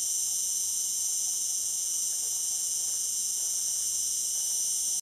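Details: Algarve cicada producing a continuous, shrill metallic buzz, even and unbroken from start to finish, over faint low background rumble.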